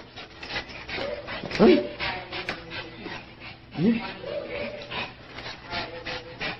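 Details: Excited male Shih Tzu named Sky, thrilled about heading to Dog Dayz daycare to play with friends; two sharp upward-sweeping yips about two seconds apart plus softer whining, while a person speaks cheerfully to him.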